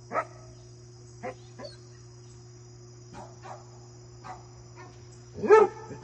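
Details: A Basset Hound goofing off and playing with a deer gives scattered brief, soft woofs, ending in one loud, deep bark, over a constant low mechanical hum.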